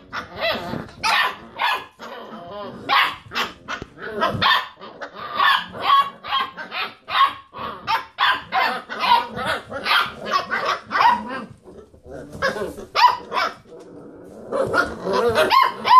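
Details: Basset Hound puppies rooing as they play around a computer chair; long run of high barks, yelps and drawn-out rising roo tones from several puppies, a brief quieter pause near twelve seconds, then renewed calling.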